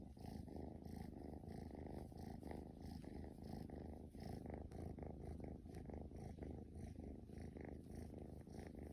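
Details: Straight-eared Scottish Fold kitten, a young male, purring during play at home: dense, throaty rumble of rapid pulses, holding an even level with brief dips in intensity.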